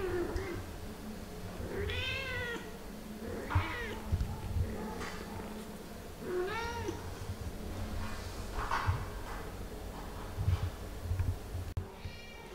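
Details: Kittens Pixel, Garfield, Bianca and Caramel meowing while their mother Ophelia plays and talks with them; repeated high, curved meows in bursts, separated by rustles and knocks from play.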